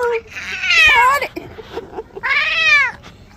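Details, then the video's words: Cat being washed, two strained rising-falling meows about a second and a half apart, with small knocks and handling noises between them. "Cat bathing"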